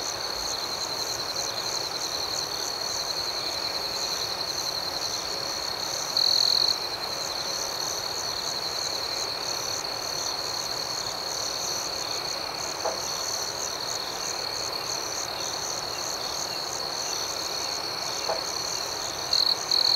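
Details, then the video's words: Night cricket chorus in a tranquil outdoor setting: a steady, high-pitched continuous ringing drone, broken only by two brief louder chirps, one in the middle and one at the very end. "Soothing Cricket Sounds"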